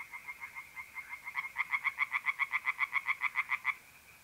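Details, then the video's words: April night chorus of tree frogs in a north-east Italian pond: a quick run of loud, regular croaking pulses, about six a second, that swells then stops abruptly, over a faint continuous mole cricket trill. "relaxing singing tree frogs in pond and trilling mole crickets by night"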